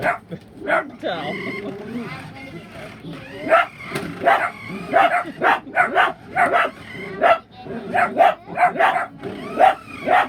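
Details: A dachshund barks in sharp, repeated bursts at remote-control toy cars, with a person's voice audible at the start; a second dachshund also barks while hiding.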